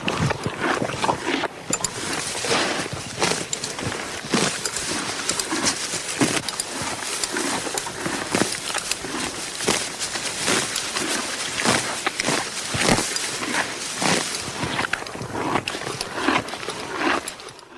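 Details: Horse munching grass at length, with a steady stream of crackling bites and grinding chews, dense and irregular, and a quieter pause near the end, over faint rustling.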